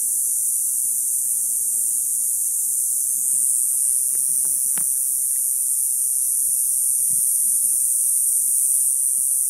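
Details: In summer, just after sunset, cicadas in a neighbourhood ironwood tree give a steady, high-pitched drone without a break, with a few footsteps and soft knocks as the recordist walks.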